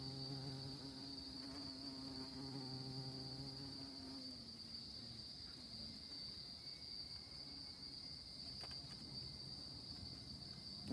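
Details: Honey bees on orchid blossoms: a low, humming buzz with rich overtones for about four seconds, then fading and dipping in pitch as a bee moves away. A brief return follows, over a continuous faint high whine and soft background hiss.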